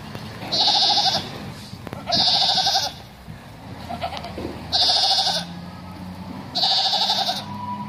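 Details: Bishi goats, a herd of 19, bleating: four loud, nasal, wavering bleats, each lasting under a second and spaced about two seconds apart, with faint background noise between them.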